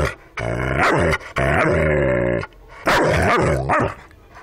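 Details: An ornery Rottweiler gives three long, deep, throaty growls. The sound is rough and richly layered, swelling and dipping within each growl, with brief pauses between them.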